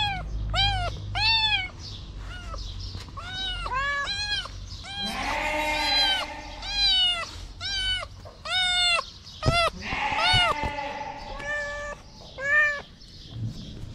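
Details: Feral kitten on the street, rearing on two legs to lick fingers, meows insistently: a rapid series of short, high, arched mews, nearly one a second, mixed with a few longer drawn-out cries and a low steady tone.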